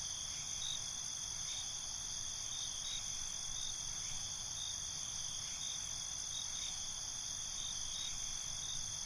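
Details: Crickets at night produce a constant high, metallic ringing with faint regular pulses roughly every couple of seconds, over soft low background noise.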